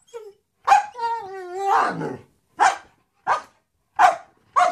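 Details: German Shepherd named Wisky begging for his toy: a long wavering, high-pitched whine with rising and falling tones, then a string of short, sharp barks spaced roughly half a second to a second apart.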